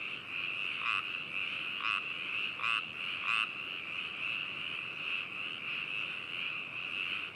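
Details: Binaural recording from Hakushu, Hokuto City, Yamanashi, Japan, 4 May 2018, adphox BME-200 microphone on a ZOOM H2n: a continuous high frog chorus, with four louder, nearer croaks popping out at roughly one-second intervals in the first half.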